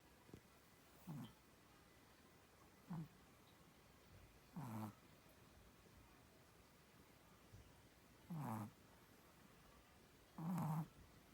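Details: Sleeping Chihuahua named Samdol snoring quietly indoors, low rumbling snores with a faint raspy upper edge arriving at uneven gaps of roughly two to four seconds, five snores over a soft steady background hiss.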